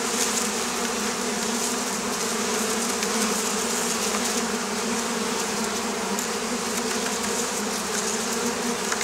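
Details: Oriental hornets around beekeeping sites on the Campanian plain, Italy; a constant droning buzz of many wings, a steady low hum beneath a rough hiss, with slight flickers in intensity.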